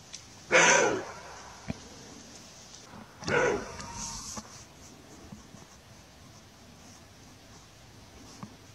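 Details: Two rough, gruff barks from a roe deer, about three seconds apart, each brief and raspy with a bright upper edge, followed by near silence with a few faint ticks.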